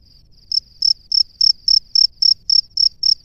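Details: High, clear chirps from a male cricket at its burrow, calling to females, starting softly then sounding loud pulses roughly three to four times a second, with faint low background noise.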